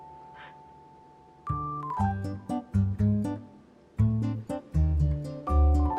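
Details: Keyboard music with a steady bass line and chords; no animal voice is heard.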